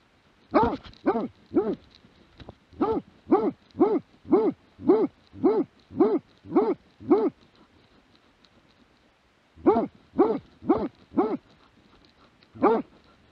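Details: Plott hound recorded in 2017, giving a run of about seventeen loud, harmonic barks with an arched pitch, about half a second apart, in bursts with short pauses, the last bark standing alone; quiet background otherwise.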